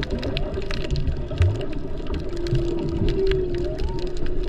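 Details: Humpback whales heard underwater off Maui in peak season, mostly mothers and calves; a drawn-out moaning tone slides upward near the end over heavy low rumble and water noise.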